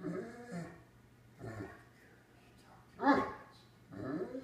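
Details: A female Great Dane makes drawn-out, moaning vocalizations as she "talks" to her cat, with a woman's voice speaking between them.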